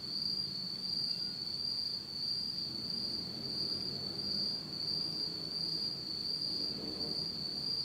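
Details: Insects in Japan on an autumn night, in complete darkness, keep up a continuous shrill ringing trill at a constant high pitch. The trill pulses gently in loudness, while a soft low rumble rises toward the end.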